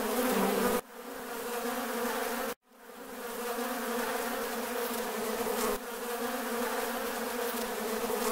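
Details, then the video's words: Honey bees on a farm give a continuous humming buzz, a thick droning layer of many wings. Two sudden brief dropouts to near silence break the sound before the steady hum resumes. "Bees Buzzing Sound Effect"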